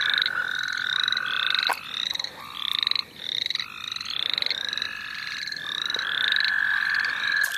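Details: St. Olaf College Natural Lands frogs: quick, repeated rising chirps in bursts of several notes, pulsing through the recording, over a lower sustained trill that fades in and out.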